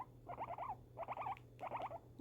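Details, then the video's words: Guinea pig, a female kept as a pet, reacting to fireworks with three clusters of quick, slightly rising squeaky chirps spaced about three-quarters of a second apart. "guinea pig reaction to fireworks"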